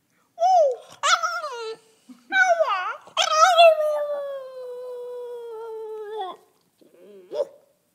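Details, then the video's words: Two-year-old French Bulldog 'singing' in a relaxed, conversational mood: several short yelping whines with sharp onsets, then a long drawn-out tonal howl that slowly falls in pitch, followed by a brief final yip. "Bouledogue français qui chante"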